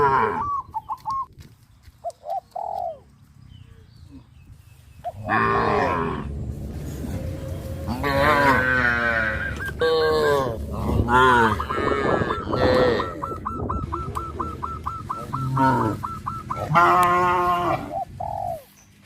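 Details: Cattle herd heading to pasture in hot sunshine: after a quiet start with a few bird chirps, overlapping cows low in long wavering moos, one after another, while a bird keeps up a fast repeated chirp.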